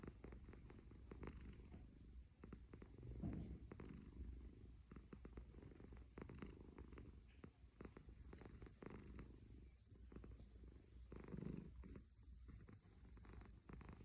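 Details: Sleeping cat snoring indoors, a low continuous rumble with fine rapid pulsing that swells with each breath, louder surges near three and eleven seconds, no other clear sounds.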